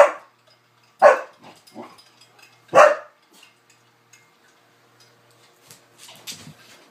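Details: Newfoundland barking while playing with a cocker spaniel: three loud, harsh barks in the first three seconds, a few softer yips between them, then quieter scuffling and shuffling sounds.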